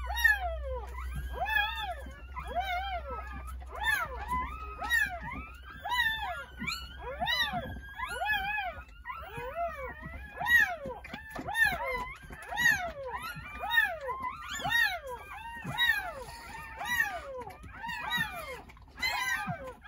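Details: A chorus of newborn Jindo puppies, nine born on New Year's Day in a countryside house, squealing in rapid arched whines about once a second, voices overlapping throughout, low hum at the start.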